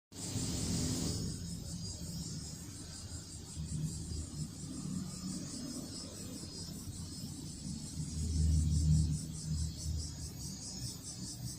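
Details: Cicada singing near a cat named Toto-kun: a high, shrill, steadily pulsing buzz runs through the whole recording, over a constant low rumble that swells near the end.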